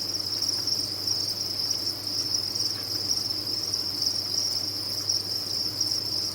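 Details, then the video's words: Many farmed crickets chirp together in a continuous high, ringing trill that never pauses, with slight pulsing in intensity and a soft low background hum. "Sound of a Cricket Farm"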